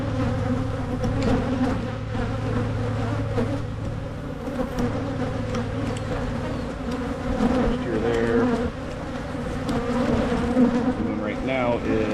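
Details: Michigan beekeeper's hive under inspection for splitting, with queen cups found nearly ready; massed honeybees give an unbroken low buzzing drone, gently rising and falling, with occasional handling taps.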